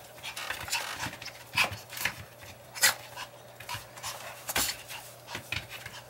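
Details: Long-haired Chihuahua panting while playing catch me if you can: quick, breathy, airy bursts come in an uneven rhythm, some puffs sharper and louder than others.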